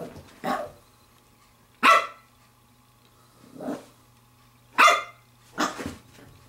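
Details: Pembroke Welsh Corgi puppy, female, 7 weeks and 6 days old, playing with a glove: five sharp high barks and yips spaced one to two seconds apart, some with a noisy edge, over a steady low hum.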